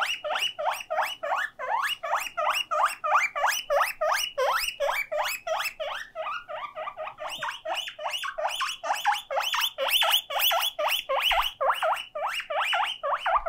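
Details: Guinea pig kept as a pet, crying because it is alone: a long run of sharp upward-sweeping squeals, roughly three a second, growing brighter and louder halfway through.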